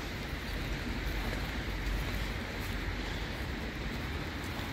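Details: Steady broadband hiss of rain and wind, dense and even throughout, with no animal voice heard.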